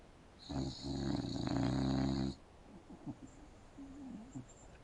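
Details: Sleeping English bulldog snoring on an indoor couch, mouth open: a single long, harsh, rattling snore of about two seconds with a deep vibrating buzz, then soft snuffly breathing.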